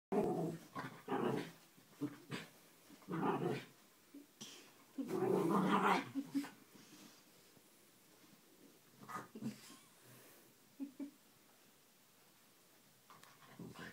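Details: A dog named Harvey, indoors in a small room, wrestling with his chew toy: bursts of low, throaty growls and grumbles come in uneven clusters, loudest around the middle, with short quiet gaps between rough snarling pulses.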